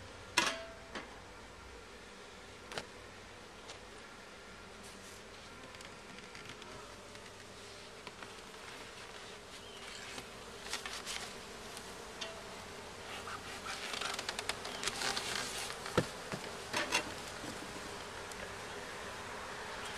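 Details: Honey bees, some returning with yellow pollen on their legs, drone continuously around an opened hive during its first check, with a loud knock at the start and a busier, rising clatter of handling noises toward the end.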